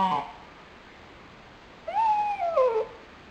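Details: Crying because he is lonely, nine-month-old pet dog Pochi (February 12, 2007) ends one whine at the start, then after a pause gives a drawn-out cry that rises, holds, and falls away.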